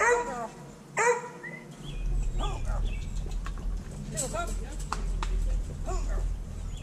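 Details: Hounds in their pens after feeding and kennel cleaning, on a GoPro Hero 5 Black; a couple of loud, harmonic bays at the start, then scattered short yips, rustling and distant talk.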